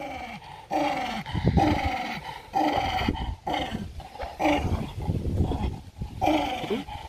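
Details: Aggressive domestic dog fighting for food, giving rough throaty growls in long rumbling stretches of about a second each, rising and falling in loudness with short gaps between.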